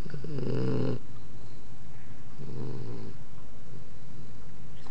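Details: Sleeping puppy snoring loudly indoors: two deep, rumbling low snores about two seconds apart, the first longer, with faint room noise between them.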